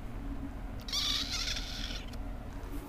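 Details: Perci, short for Percephany, a little female kitten, gives a single high, thin meow of about one second with stacked bright harmonics, over a steady low indoor hum.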